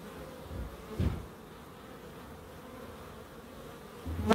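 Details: Garden bees in Crookes humming steadily at low pitch, with a short thump near one second and a loud close pass of a buzzing insect at the end.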